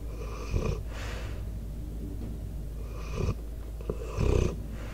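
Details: Debo, a sleeping four-year-old American Staffordshire Terrier/Pitbull, snoring close to the microphone: raspy breaths with a buzzy, banded tone come in short bursts about once a second at first, then at longer gaps, over a steady low hum.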